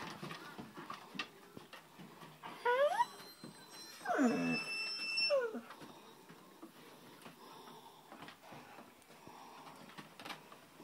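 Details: Black Great Dane puppies whimpering: a few high, sweeping whines that rise and fall in overlapping bursts around the middle, the loudest near the centre, with low background rustle before and after.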